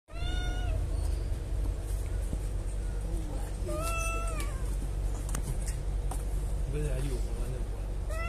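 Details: Kittens meowing at a birthday: a long, clear descending meow at the start and a rising-then-falling meow near 4 seconds, with fainter mews between, over steady low rumbling background noise and some voices.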